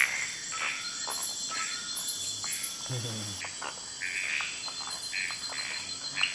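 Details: Frogs calling after dark in Kubah National Park, near a large tree frog pair in amplexus: rapid scratchy notes in loose bursts, a brief low voice midway, steady insect whine throughout.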